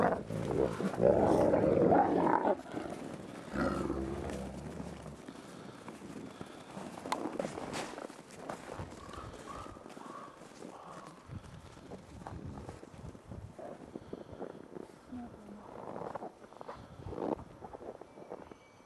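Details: Captive ambassador wolves in daily dominance interactions, 15 December 2008: harsh, loud snarling growls in the first two seconds, followed by quieter scuffling and brief low vocal sounds against an outdoor background.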